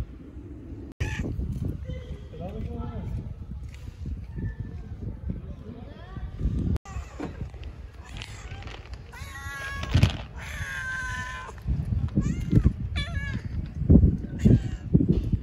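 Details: Friendly stray cat on an Istanbul street talking to a person, giving drawn-out harmonic meows that rise and fall, clearest mid-clip, while a person speaks Turkish calmly nearby and other cats are coaxed closer.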